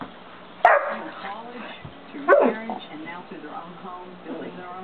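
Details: Two booming barks, about one and a half seconds apart, from 5½-month-old St. Bernard Dozer as he tries to get Simba, another dog, to play, with people talking softly throughout.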